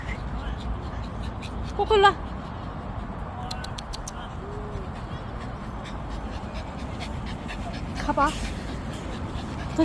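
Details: Puppy at a dog playground giving two short, high yelping whimpers, one early and one late, with a person talking and calling nearby over steady low background noise.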